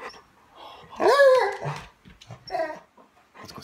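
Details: Golden Retriever at Christmas 2016, pet-sat, as Santa arrives: one strong arched whining cry lasting about half a second, then shorter, softer whimpers, with scattered human voices and room noise around them.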